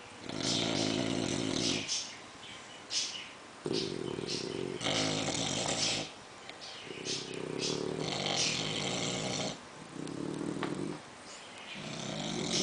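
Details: An English bulldog snores loudly alongside a French bulldog, with rough, rattling breaths alternating between deep inhales and wheezy exhales.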